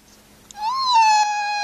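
A spotted hyena gives a drawn-out, mewing whine that swells slightly in pitch and then slowly sags.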